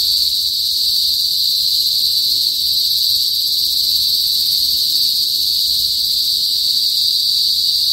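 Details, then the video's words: Kuliglig, the cicadas of the northern Philippine countryside, give a piercing, continuous metallic whine that stays level and even throughout, with almost nothing else audible beneath it. "TUNOG NG KULIGLIG SA PROBINSIYA | PHILIPPINES CICADAS NOISE"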